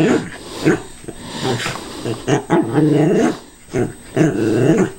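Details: Cairn Terrier growling at a callous remover, wary even though it is not running; rough barks give way to long wavering harmonic growls near the end, indoors.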